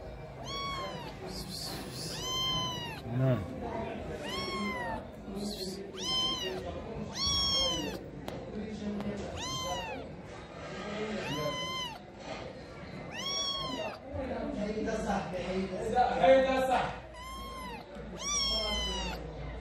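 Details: Lost stray cat with sick eyes in Morocco, pleading for help in the middle of the night: loud, arching, harmonic meows repeated about every two seconds, around ten in all, over a low background murmur.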